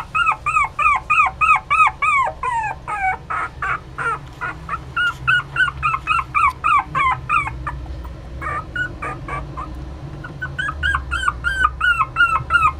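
A Poodle–Chihuahua mix puppy gives a rapid run of high, whiny yips and whimpers, about three each second.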